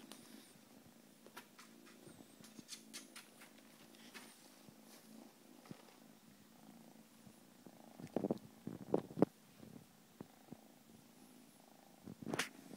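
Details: A blue Scottish Fold cat purrs in a steady, low, rumbling drone, broken by a few sharp clicks and taps.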